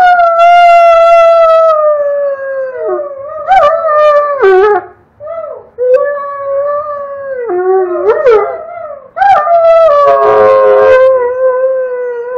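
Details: Doberman Red howling with a child in the background; long, strong howls slide downward, broken by short yips and wavering talking syllables, then resume with a sustained howl to the end.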